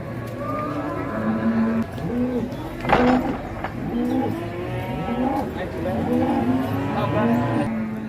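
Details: Cattle at the crowded Ngawi livestock market in Indonesia, bought in bulk and loaded onto trucks bound west. Several animals low overlapping moos, drawn-out and wavering, one after another, with a loud bellow near three seconds, over crowd chatter and background music.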